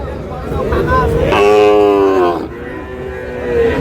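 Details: A Sahiwal bull calf at a busy cattle market in Chittagong gives one strong, sustained moo lasting about a second, with rich harmonics. A softer moo follows it, with market voices in the background.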